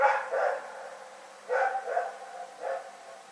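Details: Domestic dog barking at night, recorded February 27, 2018. Irregular pairs and single rough barks follow one another over a few seconds, each with an echoing tail, in a quiet setting.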